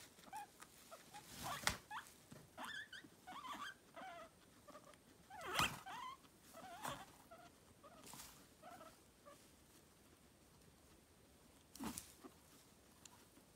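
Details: Guinea pig (Cavia porcellus), squeaks.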